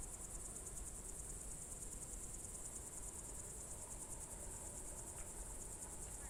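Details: A June 2023 evening in Novye Buregi, Novgorod Oblast, with a cricket chorus: a continuous, piercing high-pitched trill that pulses in quick beats, set against a soft low murmur.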